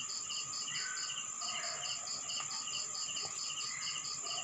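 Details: Rural town at night in the Philippines with crickets chirping in quick high pulses over a ringing drone, plus a few short scattered chirps from other animals.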